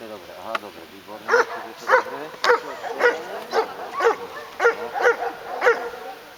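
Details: Hovawart named Damien Dexter at a Slovak dog obedience exam (Skúška Ovládania Psa) in Handlová, 14 July 2013, scoring 90 of 100 points; about ten loud, evenly spaced barks roughly every half second, with people talking faintly behind.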